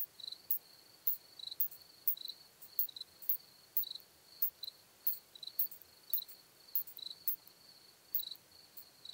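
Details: Very high, faint clicking of a curve-tailed plump bush-cricket in Hohenbrugg an der Raab, Austria, 4 June 2021, ticks coming in loose pairs about every half second against a constant background hiss and steady whine.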